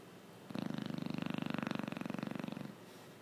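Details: Gucci, a Chow Chow dog, snoring while asleep indoors: one long rattling snore of about two seconds, made of rapid, even pulses with a rough buzzing tone, framed by quiet room hush.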